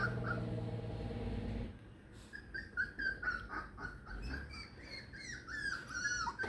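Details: Four-week-old Beagle puppies away from their mother for the first time: after a short stretch of low music, several high, thin whines and squeaky yips overlap, rising and falling in quick succession, with music faintly underneath.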